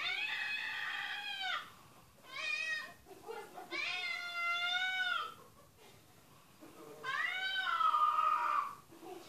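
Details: Domestic cat meowing from a television as a dog listens: four long, clear meows, each about a second or more, some rising then falling at the end, with short quiet gaps between.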